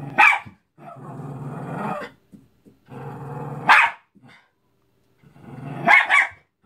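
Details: Cairn Terrier attacking a Mickey balloon: long, rough, rumbling growls of a second or more alternate with sharp, explosive barks, a few of them doubled, with brief pauses between bouts.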